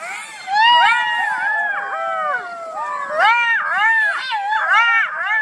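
A fox gives wavering, whining calls that rise and fall, overlapping in a tangled chorus.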